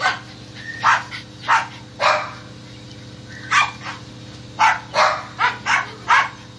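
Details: On a squirrel hunt, a dog barks about eleven times in two loose runs, sharp and harsh, with a brief lull in the middle.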